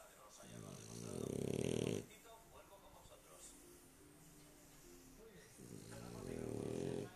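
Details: A sleeping dog snoring, with two long rasping, pulsed snores about a second each, separated by quieter breathing and faint background sounds.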